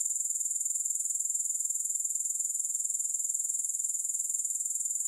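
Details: Continuous grasshopper sound with no music: a shrill, rapidly pulsing buzz, about four pulses a second, held at an even pitch and volume throughout with nothing else audible.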